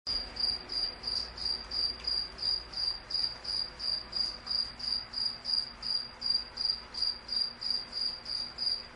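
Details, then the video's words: Cricket chirping steadily: short, high, shrill pulses repeated about three times per second, evenly spaced and even in loudness, with faint low background hum. "Cricket Chirp sound"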